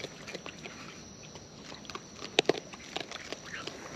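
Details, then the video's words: Wild raccoons munching close up, with rapid soft crunching and two loud sharp bites in quick succession midway through, over a low natural background. "Wild Raccoons & ASMR Chewing Sounds"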